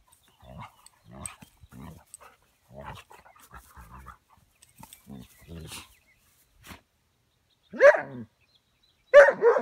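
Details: Puppy Buddy, almost 20 weeks, playing with Boomer: soft low growls repeat through the first seconds, then two sharp, loud barks break out near the end.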